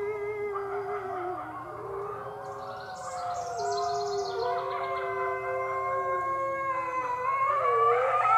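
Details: Six-week-old red wolf pups from the Wolf Conservation Center. Several overlapping howls form steady tones with bright overtones that step up and down in pitch, then rise toward the end. Faint hiss underneath.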